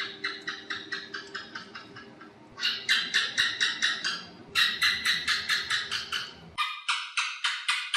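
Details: Repeated bouts of sharp, rapid chirp-clicks from an Asian house gecko, a nocturnal lizard of house walls, each run fading away before the next. A background hum stops abruptly partway through, leaving the clicks clear.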